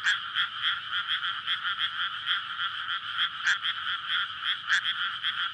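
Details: Frogs calling in courtship at night over a flooded May rice field surrounded by housing. Rapid rattling croaks overlap in a loud, throbbing chorus, punctuated by a few higher, sharper calls standing out above the mass.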